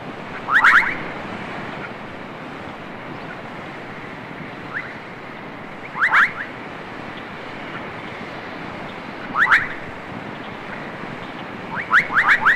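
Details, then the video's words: Toads and frogs at a South African homestead in Zulu country, recorded around 1956, give short, clicking, chirpy bursts every three to four seconds, with a quick double call near the end, over a steady rushing background like wind or surf. "Toads and frogs"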